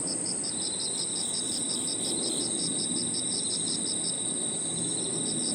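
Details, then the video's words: Crickets and other insects singing in a park at evening, with clear evenly spaced chirps about three per second, a constant shrill high tone, and a softer trill underneath, over a low hiss. "Harmonious sound of crickets and other insects 저녁 공원 풀벌레 소리"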